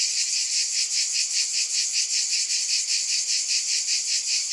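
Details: Shrill cicada droning pulses rhythmically, roughly two and a half throbs per second, an even, high-pitched hiss filling the whole stretch.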